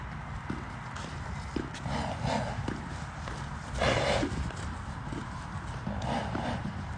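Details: Hoof thuds of the Arabian stallion Enaaq Al Thaqeb during a 2021 showing, falling in a loose, uneven walking rhythm, with short bursts of Arabic shouting from handlers and a low background rumble.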